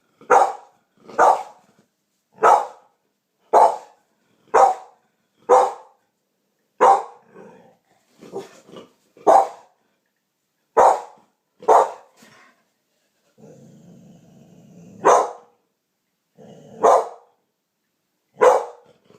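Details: Champagne-coloured American Pit Bull Terrier barking after hearing a strange noise; loud sharp barks roughly once a second, pausing for short grumbles, with a person's voice asking what it is.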